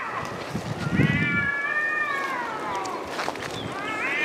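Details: Cats arguing in woodland: a long, wavering yowl bending up and down, followed by a rising cry at the end, over a low rumble and handling noise.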